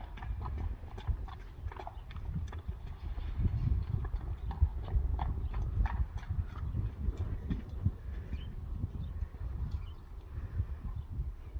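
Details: Young Friesian horses let back out onto a drier meadow after rain, their hooves thudding in a steady, dense low rumble of trampling throughout, with a person's voice naming the horses.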